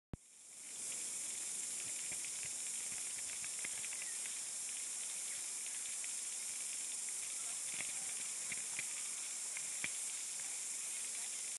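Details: Chorus cicadas singing on Tiritiri Matangi Island, Auckland, New Zealand, fill the air with a steady, high, hissing buzz, studded with faint clicks.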